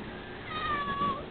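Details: Pet male cat meowing indoors while seeming to want to talk with his owner: one faint, drawn-out, level meow lasting under a second, with a woman's soft voice speaking to him around it.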